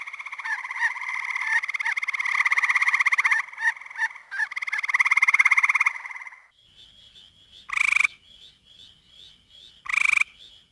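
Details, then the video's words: Spring frog calls from Ottawa County, Michigan: a dense, pulsing trill runs for about six seconds with brief breaks, then gives way to softer, higher repeated peeps punctuated by two loud, sharp calls two seconds apart. "Frog Calls of Ottawa County, Michigan"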